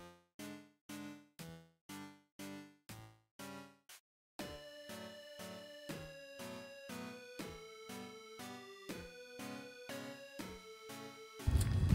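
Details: Upbeat electronic music plays throughout: a bouncy repeated plucked melody for four seconds, then a fuller synth-and-beat arrangement with a loud final hit, with no animal voice heard.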